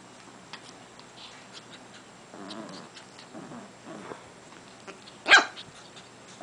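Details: Japanese Chin puppy Taishi mouth wrestling with his big brother Chin indoors, pestering him in play: low, rough growls in short bursts around two and three seconds and again near four, then a sharp click.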